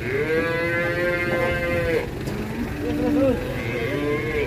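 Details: Large Pegon cattle being unloaded from a truck in Indonesia; a long steady harmonic moo lasting about two seconds, then shorter wavering moos, with people talking and crowd noise behind.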